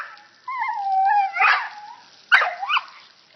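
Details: Dog playing in a water fountain, with an unusual, funny bark: a long wavering, tonal yelping howl lasting about a second and a half, then a pause and two shorter rising yelps.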